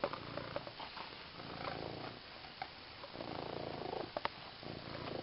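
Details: Domestic cat, female, purring as she plays with her new green fish toy; continuous rough, low vibrating purr with swelling and fading phases and a few small clicks.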